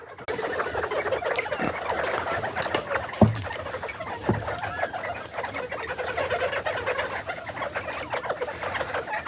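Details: Farm-kept bobwhite quail eating spring mix lettuce, making their happy sound: a dense, continuous chorus of soft chattering and clucking notes from several birds, with a few sharp knocks and rustles.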